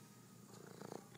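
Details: Domestic cat purring while sitting inside a dishwasher; a low, steady rumbling purr with a slight swelling pulse near the end.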